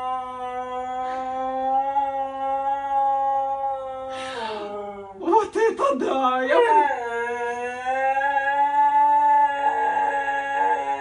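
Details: Hyperactive Siberian Husky gives a drawn-out howl, interrupted midway by rapid choppy yelps and wobbling pitch, then returns to a long steady tone lasting several seconds.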